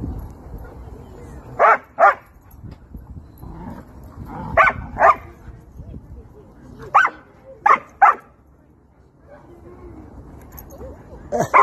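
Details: German Shepherd meeting friends at a playground, happy: short, sharp barks mostly in pairs, bursts recurring every two to three seconds, over a low background murmur.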